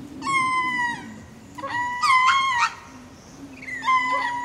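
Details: Ring-tailed lemur giving spacing calls while going to roost at Berenty Reserve, Madagascar: three clear, mewing, cat-like calls with a flat tone that slides slightly at the ends, over a steady low hum.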